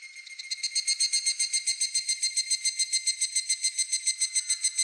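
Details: Japanese cicada song: rapid rhythmic pulsing of a shrill, ringing buzz, roughly three to four beats each second, growing louder after a quieter start and holding evenly to the end.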